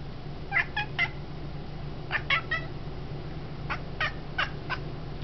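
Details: Domestic cat, female, reaching in apparent frustration for a feather-on-a-stick toy held too high: short, clipped chirping bursts in three quick clusters, about nine chirps in five seconds, over a steady low indoor hum.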